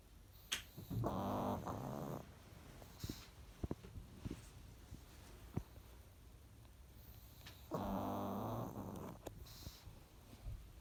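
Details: Pekingese dog snoring while asleep, two long raspy rumbling snores about seven seconds apart, with faint clicks and quiet room noise between.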